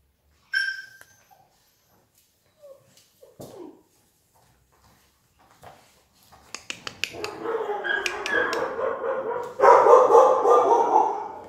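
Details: Collie puppies from litter A, dated 21.01.18, described as playful: mostly quiet at first, then dense squealing and yapping builds from the middle to the end, ending in a loud, rough burst.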